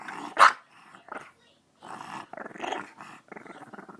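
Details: One-year-old French bulldog trying to lick a face, giving one sharp yelp followed by raspy snorting grunts and gargled whining sounds in short bursts.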